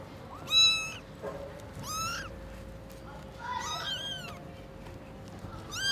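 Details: Newborn kittens whose eyes have just opened greet the mother cat at Lucky Paws: a few piercing, upward-sweeping meows, two callers briefly crossing near the middle, separated by quiet gaps with a low hum.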